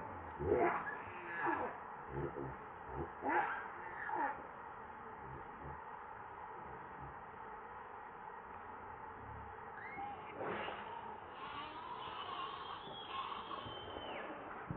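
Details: Baby monkey Leo cries while begging its mother for milk, hungry: a few short wavering cries early on, then a long thin high whine that bends and trails after a quiet stretch, over steady background hiss.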